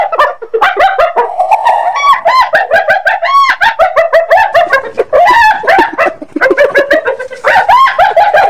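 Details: Hyena giggling in a rapid, unbroken run of yelping, harmonic notes, several sweeping upward around the midpoint, with the chatter pausing only briefly between bursts over about eight seconds.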